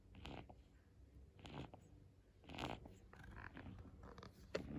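A Boston Terrier puppy snores in soft, breathy snorts about once a second.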